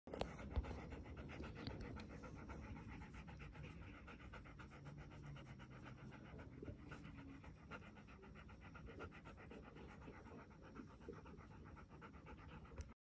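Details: Chocolate Labrador Retriever panting in a yard after playing football, rapid steady breaths repeated about two to three times per second, quiet and close.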